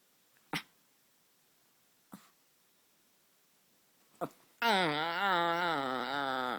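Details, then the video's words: A white Chihuahua puppy gives three short snorts, then a drawn-out, wavering, tuneful whine. "Cute white chihuahua puppy making funny sounds"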